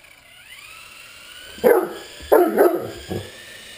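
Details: Great Dane barking at an RC helicopter while playing: four short, gruff barks in quick succession, after the rising whir of the toy's rotor.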